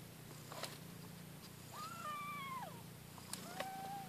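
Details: Newborn kittens competing to nurse from their mother: a faint, drawn-out mew that rises and then slides down over about a second, followed by a shorter, lower mew, with steady low hum underneath.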